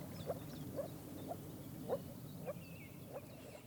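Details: Male moor frogs (Rana arvalis) give soft, hollow, bubbling notes about every half second in a breeding chorus in the water at Bargerveen, Netherlands, in spring; the mating season lasts only one or two days, and the males turn bright blue.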